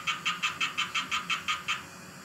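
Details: A tree frog singing in a vivarium calls in a fast series of nasal, clacking notes, about five per second.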